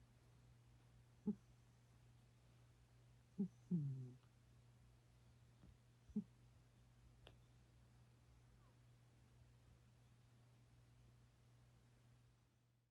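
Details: Nunu, a sleeping domestic cat, snores in a quiet room: a few short, low, tonal snorts spaced a couple of seconds apart, with a brief double snort near the middle, over a steady low hum.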